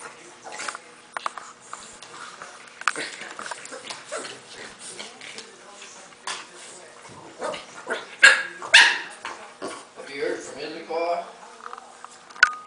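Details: Gus, a bulldog puppy, gives short sharp barks and higher yelping cries in irregular bursts, the loudest and most tonal ones clustered past the middle, with speech faintly heard in the background.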